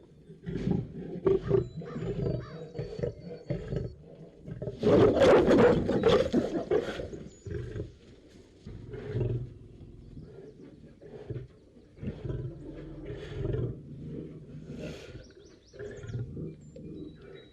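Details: Lion in a cage giving deep rumbling roars, swelling to a loud full-throated burst midway, then trailing off into lower grunting pulses.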